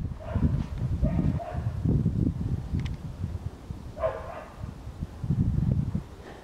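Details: Siberian Husky puppy, eight weeks old, exploring snow for the first time. Three brief, pitched yelps come about every two seconds over loud low-frequency rumbling and scuffing.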